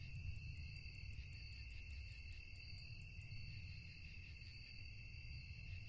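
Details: At night, crickets keep up a bright continuous trill while a regular train of fast, very high pulses repeats for about three seconds and then stops; low droning noise fills the background.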